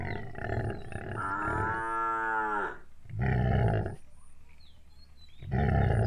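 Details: Gir cows at milking: a long drawn-out moo with clear stacked harmonics, steady then rising slightly before cutting off, followed by two shorter, rougher lowing bursts; faint high chirps and a repeating thin high tone in the background.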